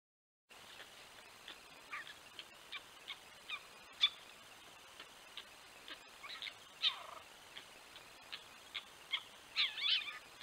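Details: Four young red fox kits, caught at night by a camera at their den entrance in 2023 while the vixen brings in prey, give high, thin squeaks and a few wavering whines in quick, irregular succession.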